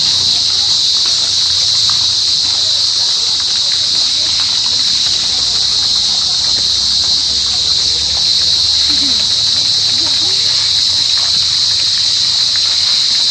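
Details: Cricket. A cricket sings in an unbroken, high-pitched trill that holds the same shrill tone from start to finish. No other clear sounds break through the steady ringing.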